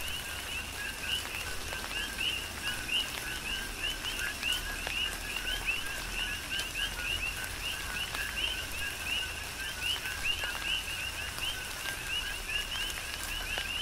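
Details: Rain falls on Hawaii's Big Island as a chorus of coqui frogs chirps without pause, each call a brief low note followed by a bright, rising whistle, many frogs overlapping in a rhythmic wash over the rain.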